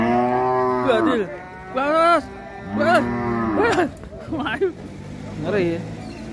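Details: Sacrificial (qurban) cattle rampaging while being unloaded from a truck at Siyono Harjo market; several loud, harmonic-rich moos in quick succession, some rising then falling, others wavering, with overlapping bellows and brief background voices.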